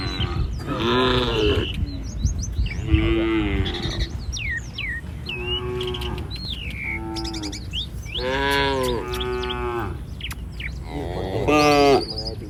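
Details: A herd of village cattle roaming the street lows repeatedly: five drawn-out, harmonic moos spread through the clip, some rising then falling. Small birds chirp and twitter between and over the calls.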